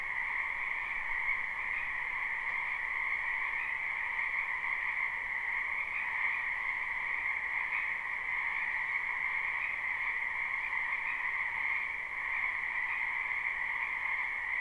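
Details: Continuous frog chorus from a spring wetland behind a house, a live recording with no looping. Countless overlapping croaks blend into an even, shimmering buzz, high and low tones held steady throughout, with a faint hiss beneath.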